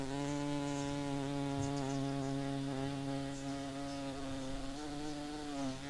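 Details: Blue banded bee, native to Australia, buzzing in a garden: continuous low-pitched humming drone with many overtones, steady in pitch with small dips, no other clear sounds.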